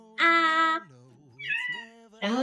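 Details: A cat calling its mom to open the door makes three loud, harmonic-rich meows. The first is long and steady, a quieter lower murmur follows, and the last two are shorter with a stepping pitch. There is a clear background.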